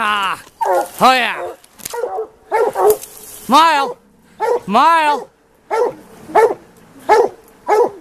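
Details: Plott hounds from the White Deer line hunting a mountain lion in the afternoon; a steady run of short, sharp chop barks is broken by a few longer, arching bawls, about one bark per half second.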